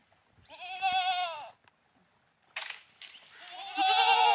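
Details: Goat bleats during play: one strong wavering bleat, a pause, then rough noisy bursts leading into a loud, quavering, high bleat.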